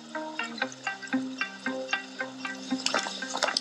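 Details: Gentle instrumental music with soft plucked notes and a faint trickle of water, with no animal voices.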